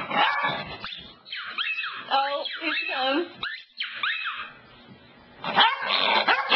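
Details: Cassidy, a pet dog, indoors by the couch, gives a run of high, bending whines and yelps that rise and fall, with a person's voice in between and a quieter pause before louder broken sounds at the end.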